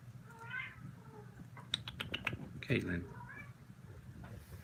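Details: Kittens, part of a litter called the Australia kittens, give a few short, faint, high meows that rise and fall, spaced across a few seconds, over low room hum with clicks and brief taps.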